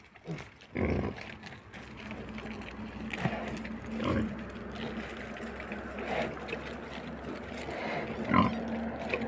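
Harsh, throaty grunts from a wild boar come every couple of seconds, some short and some drawn out. A constant low hum runs underneath, with faint extra noise between the calls.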